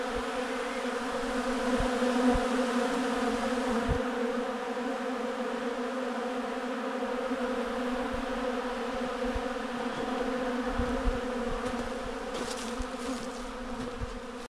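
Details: Bee farm recording: continuous loud humming buzz of many bees, steady layered drone throughout, with a few faint clicks and rustles near the end.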